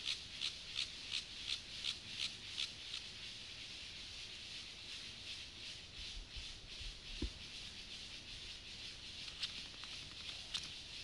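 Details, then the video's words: Stridulation of the grasshopper Gomphocerus sibiricus during sexual behaviour: high, dry rasping pulses repeated almost three times a second, strongest at the start, then fading into fainter, uneven scrapes with a soft low thump midway. "Sexual behavior • comportamiento sexual • grasshopper • saltamontes • Gomphocerus sibiricus"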